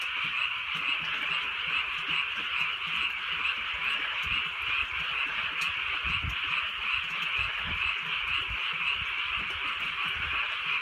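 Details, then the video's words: Rainy countryside night in soft drizzle, filled with a thick chorus of frogs. Their quick, overlapping croaks throb steadily without a break, while low thumps and patter sound below. "개구리 소리"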